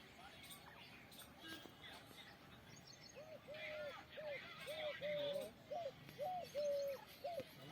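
A squirrel gives a quick run of short, clipped chirps, each about half a second apart.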